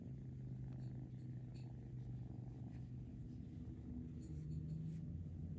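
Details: Kittens in foster care, handled to help socialize them, giving a loud, even purr with a strong low drone throughout.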